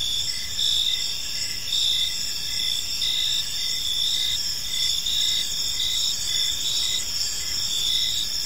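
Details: Crickets chirping in a serene evening park, layered high steady trills and a lower pulsing chirp repeated at a regular pace, softly varying in loudness over a quiet ambient backdrop.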